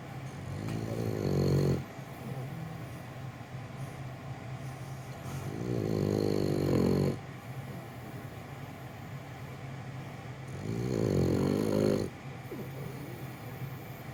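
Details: French Bulldog Gonta dozing while held, producing three heavy, gravelly snores of one to two seconds each, recurring about every five seconds, separated by quiet breathing over a faint steady hum.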